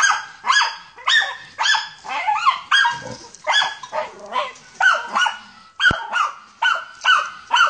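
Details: A German Hunting Terrier on a wild boar hunt barks in a fast, steady series, sharp yaps roughly twice a second.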